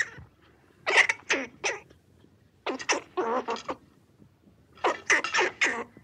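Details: A squirrel's rasping cries come in three groups of three or four sharp, hoarse bursts, each group spaced about two seconds apart, against a quiet backdrop.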